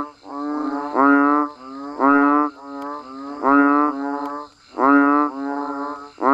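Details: Banded bullfrogs and frogs calling while it rains: loud, drawn-out, nasal bleats each about half a second, coming in pairs or groups roughly every second, with fainter callers behind.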